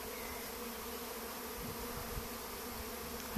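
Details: Many swarming honey bees looking for a new home, possibly in an apple tree; an unbroken, steady hum of wingbeats fills the recording, with a brief knock at the end.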